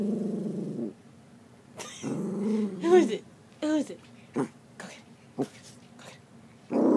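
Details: Miniature poodle named Diamond barking and growling at her own reflection in a mirror indoors: a low rumbling growl, then a sharp bark and several short yaps, with a person speaking between them.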